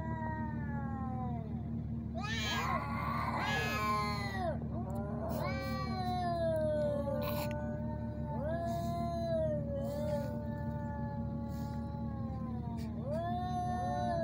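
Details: Ginger male cats fighting in Sharjah, UAE, shot handheld and unedited: a burst of loud harsh screeching, then a series of long bending yowls, each several seconds, answering one another over a steady low hum.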